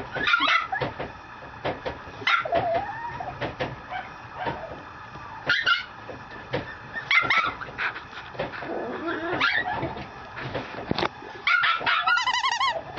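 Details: Female Mame Shiba puppy in Japan giving high, sharp yips and short whimpering barks in irregular bursts, each rich in harmonics, with a wavering whine near the end.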